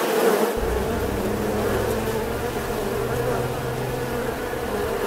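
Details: Bees droning in a constant buzzing hum, joined after half a second by a low rumbling background tone beneath the insect buzz.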